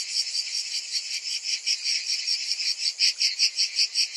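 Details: Massed summer cicadas give a high, sizzling buzz that throbs about two and a half times per second. The pulses grow sharper and more distinct toward the end. Nothing else is heard.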